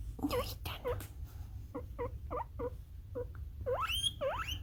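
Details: Pet male guinea pig Kurumi giving frequent puipui squeaks, an 'alarm version' call: bursts of short squeaks, then evenly spaced repeated chirps, and finally two long, loud whistles sweeping upward, against a low indoor rumble.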